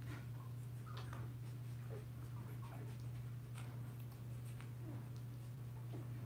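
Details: Young Blenheim Cavalier King Charles Spaniel puppies, a litter of five around two weeks old indoors in their pen, make soft scattered whimpers and small mewling squeaks throughout, faint over a constant low hum.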